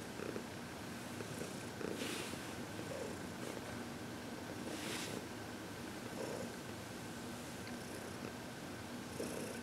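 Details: Heidi, a contented senior cat of 14 adopted from the Humane Society of New York City, keeps up a gentle rumbling purr through massage and reiki on February 22, 2021; brief bright rustles of stroking hands mark the steady drone.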